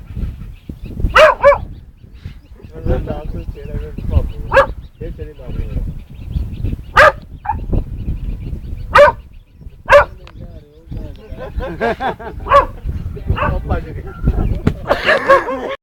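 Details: Dog barking at its own shadow: sharp, loud barks spaced a second or two apart, some in quick pairs, over background chatter and household noise, with a louder cluster of yelps near the end.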